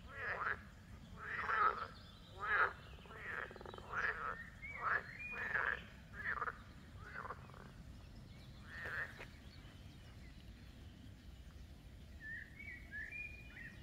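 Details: Frogs give a croaking concert of harsh, pulsed bursts in quick succession, then fade, as a Rottweiler, excited from afar, approaches.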